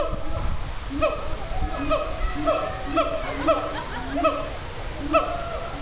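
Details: A male siamang at the Memphis Zoo gives his morning calls: a series of loud, ringing barks with arched pitch, repeated about every half second.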